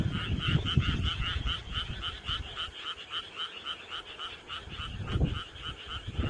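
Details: On a summer night, a frog chorus gives rapid, pulsing croaks repeating several times a second.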